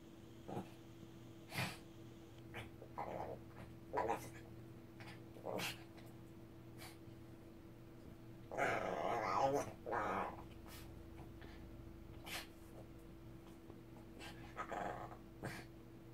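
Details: Ssong, an angry Shih Tzu indoors in a small room, growls in a string of short rough bursts about every second. A longer, louder snarling stretch comes near the middle. A steady low electrical hum runs underneath.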